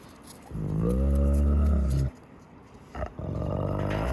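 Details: Wolf at the Park of Northern Wolves in Saint Petersburg, one long, deep, rough harmonic call lasting about one and a half seconds, followed after a pause by a rougher, lower rumbling sound.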